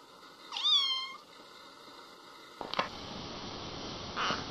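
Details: Kitten giving one clear, high meow that rises then levels off with bright harmonics, followed by a couple of soft clicks and rustling in a quiet room.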